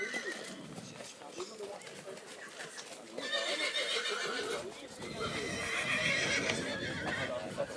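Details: Black Forest draught mare Nessaja, three years old, shown among three-year-old mares at Rossfest 2022 in St. Märgen on 11 September 2022; wavering harmonic whinnies rise midway and again near the end over steady talk and hoof clatter.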